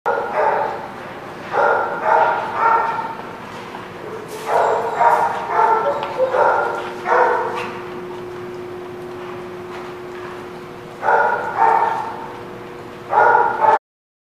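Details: {'caption': 'Dog barking recorded 13 March 2017, sharp harmonic barks in quick clusters of two to four, separated by short pauses, with a steady faint mechanical hum running underneath.'}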